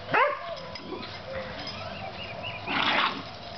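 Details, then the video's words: Two puppies, Oreo and Brutus, at play: a sharp rising yelp opens, then a quieter stretch of rustling before a louder, broad noisy burst near the end. "Pups at play"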